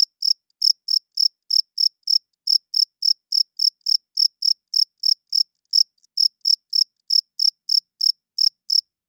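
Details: Cricket chirping loudly at night, the male's wing-rubbed song for attracting females and holding territory: about 32 short, bright, high-pitched chirps at roughly three and a half per second, with brief pauses near two and six seconds, over a silent background.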